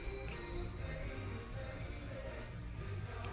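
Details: Upbeat music plays throughout, with light tapping and a trace of a voice, and no animal sound.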